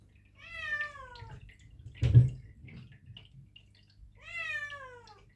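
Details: Perdoll kittens Blu and Misty, eight months old, fasted overnight before their first vet visit for neutering, meowing indoors: two drawn-out harmonic meows, each slightly rising then falling, about three and a half seconds apart, with a thump between and a low steady hum.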